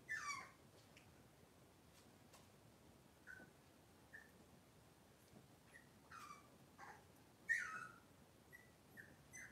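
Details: Indoor kitchen recording of Cavalier King Charles Spaniel puppies, Robin's litter, on a cloudy Monday morning: a run of short squeaky whimpers and yips, several sliding downward in pitch, the strongest at the very start and near the end.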